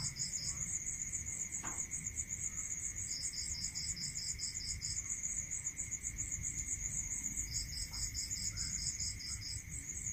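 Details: Several crickets sing at night in a rural setting, one a rapid, seamless high pulsing, another a lower, evenly beaded trill in two-second bursts separated by pauses; a steady high tone hums beneath, with one brief click near the start.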